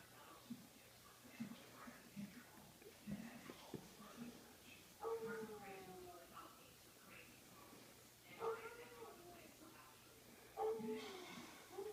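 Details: A Siberian Husky howls in the snow, giving short, wavering howls that slide downward, with pauses between each vocal burst.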